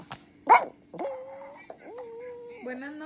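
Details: Chihuahua named Frida, urged in Spanish to say good night to TikTok, answers with drawn-out, wavering tonal howls that rise and hold steady, following a woman's brief speech.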